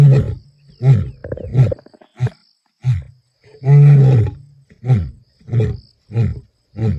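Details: In Kruger National Park on 11 April 2025, a male lion roars strongly: deep, booming moans that break into a run of short, grunting calls.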